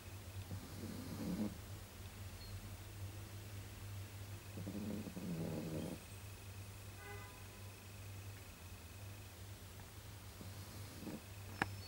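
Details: Snoring from a pug asleep indoors, just after being briefly woken: three soft, rasping snore bursts spaced several seconds apart, a faint brief tone in between, and a constant low hum underneath.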